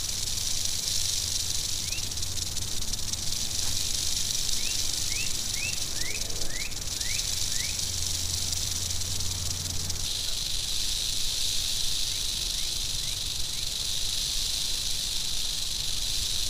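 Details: Long, unbroken high buzzing rattle from an angry western diamondback rattlesnake, changing slightly in tone midway, with scattered short rising chirps and a low droning hum in the background.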